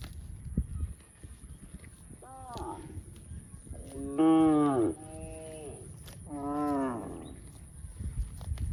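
A cow gives several drawn-out, harmonic moos, each rising then sagging in pitch.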